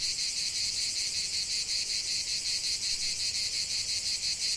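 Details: Steady high-pitched cicada buzzing from a lavender field, intense and continuous with quick, even pulses.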